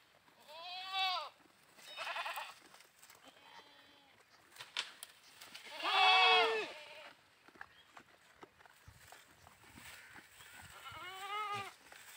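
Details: Playing goats bleating several times: a short bleat, a second one a second later, a long, loud, wavering bleat near the middle and a last quavering cry near the end, with soft rustling between.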